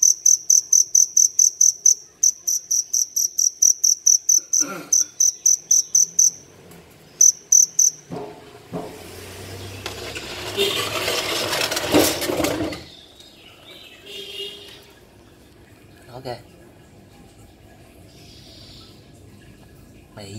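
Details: Field cricket (dế lửa) that wandered into a city home early in the morning, chirping loudly from a crevice. Shrill, high, pulsed chirps repeat steadily about twice a second with short breaks, then give way to rustling, handling noise and voices.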